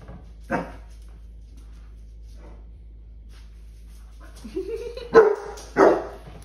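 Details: Basset hounds at home at Easter, playing with a huge Mr. Peeps toy. A single sharp bark, then a rising whine sliding into two more loud barks near the end, with quiet pauses between.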